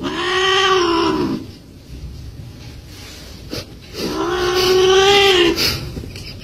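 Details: Domestic cat facing a crab gives two long drawn-out meows, each slightly rising then falling and lasting over a second, separated by about three seconds of low background rustle.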